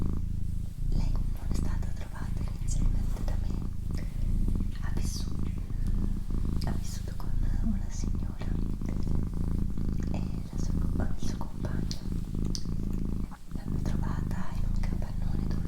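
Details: A female pet cat purring in a constant low rumble while a person whispers softly over it, with faint clicks and brushing sounds.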